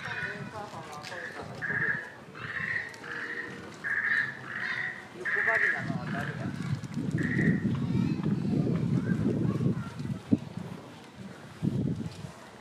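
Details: Chimpanzee Pink Daiya, 13 years old, at Noichi Zoo, Japan, in March 2023, squabbling within the group: a run of high, harsh shrieks repeated about twice a second, then fading, over a steady low murmur of visitors' voices.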